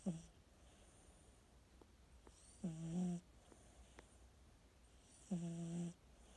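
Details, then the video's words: Sleeping pet cat snoring indoors: low, humming snores with a steady buzzy tone, each lasting about half a second, two snores roughly two and a half seconds apart, with faint clicks and quiet room hiss between them. "Snoring 💤 kitty 🐱"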